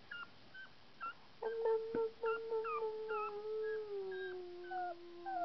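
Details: A 2.5-week-old male puppy howling: a long wavering tone that slides slowly downward over several seconds, preceded by short rising yelps and squeaks; a steady low hum underneath.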